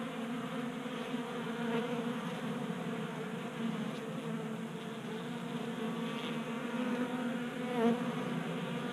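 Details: In a garage in Colorado during a warm January, around 60 degrees, honey bees gather at a 3D printed bee feeder. A dense, unbroken humming buzz fills the recording, with a brief louder surge near the end as a bee passes close.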